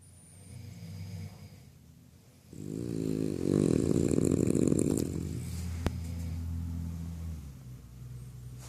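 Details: Freddy, a sleeping French Bulldog, snoring: low, rough, rumbling breaths that swell into a loud grating snore lasting a few seconds, then fade back to quieter low breathing, with one sharp click in the middle.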